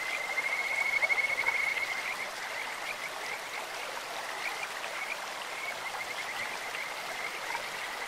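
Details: Kajika frog calling in a clear stream: a high, even trill of rapid pulses, louder in the first two seconds, then continuing as a steady chain of short notes over constant rushing water.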